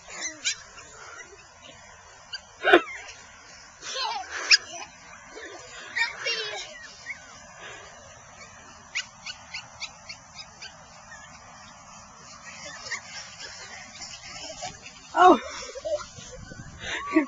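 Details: Five female Maltipoos, a Maltese and Toy Poodle mix, playing in a yard with a two-year-old boy; short sharp yips and small barks scattered through, with faint whimpers and people talking in the background.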